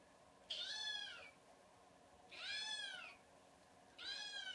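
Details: Three drawn-out kitten meows, each high and gently falling, spaced about two seconds apart against a quiet room.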